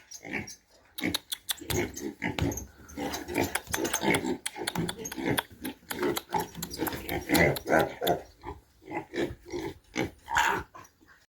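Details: Domestic pigs kept for breeding, heard in a dense, continuous run of rough, low grunts in quick irregular bursts, some swelling into harsher, squeal-tinged notes, with almost no pause across the whole stretch.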